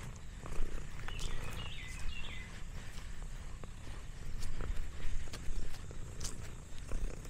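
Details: Lexi the orange tabby, a farm cat relaxing in the countryside, gives a soft, even low purr throughout, while a small bird chirps briefly early on and faint outdoor ticks and rustles sound around her.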